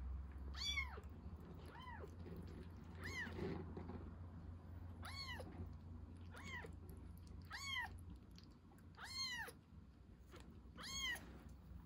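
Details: Rescued baby kitten at milk feeding, meowing repeatedly: about eight clear, high, arched mews roughly every one to one and a half seconds over a low room hum.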